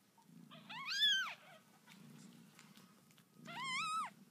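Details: Newborn kittens in a home litter give two high, thin meows about two and a half seconds apart. Each one rises and then falls in a sharp arch with a quiet hum underneath.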